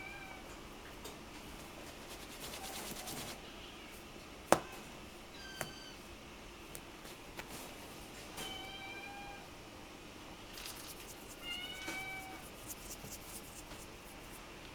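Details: Black male Munchkin kitten born on October 2 mews repeatedly, a handful of short, high, slightly falling cries spaced a few seconds apart, with sharp knocks and rustling clatter around them in a quiet room.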